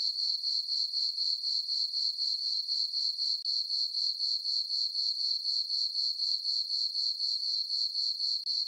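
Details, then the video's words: Summer-night crickets in a moonlit farm meadow produce a continuous high-pitched chirping. The rhythm stays very even at roughly four pulses each second, with one brief dip in loudness and otherwise only the insects heard. "Cricket chirping sounds for sleeping"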